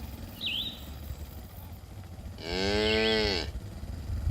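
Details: Grazing cattle in a herd on green pasture: a single strong, steady moo of about one second, deep and harmonic, follows a brief bird chirp, with low background rumble throughout.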